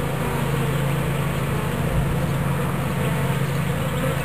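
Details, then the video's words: Watkinsville, Georgia bee swarm being captured into a fresh hive: an unbroken, low, even humming of many insects, thick and engine-like, holding steady for the whole few seconds. "Bee Swarm Capture"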